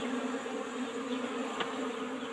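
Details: Asian honey bees (Apis cerana) kept in an old-style wooden box hive, disturbed during a honey harvest: a steady, droning hum with a low and a higher tone held throughout, and a brief click partway through.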